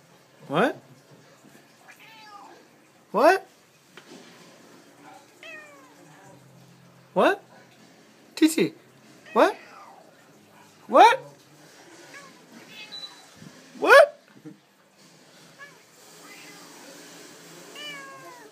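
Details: Domestic cat talking back, soft falling meows interleaved with a person repeatedly asking questions in loud bursts; the cat answers between the spoken lines.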